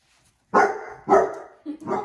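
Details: Pet Basset Hound confronting heart balloons lets out three barks: two full, hoarse barks half a second apart, then a shorter, clipped one, indoors with no other sounds.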